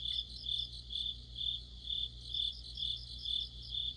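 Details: Crickets chirping with other insects in autumn, sharp high trilled pulses arriving at a steady pace of roughly two per second over a faint, unbroken low hum.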